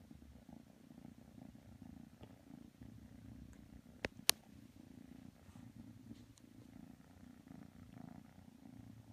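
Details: Continuous soft purring from kitten Matsumoto resting with Tanka the pit bull, interrupted by two loud sharp knocks around the midpoint.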